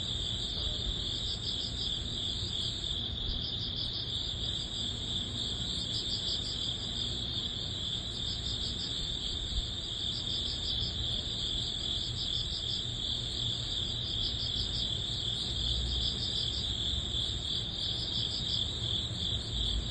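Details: Crickets and other grass insects of early autumn, at summer's end, chirp steadily in high, pulsing trills over a low background rumble.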